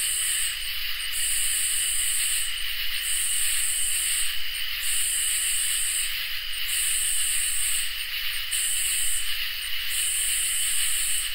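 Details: Crickets and katydids singing on a summer night: an unbroken shrill drone beneath rhythmic, very high sizzling bursts, each about one to one and a half seconds long, with short breaks between them.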